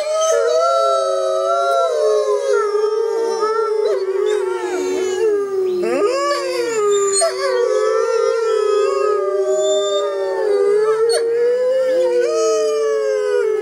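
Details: Pack of six Arctic wolves in a group howling concert; dense overlapping howls, one low steady voice beneath several higher wavering, sliding and yipping voices, continuous for about fourteen seconds.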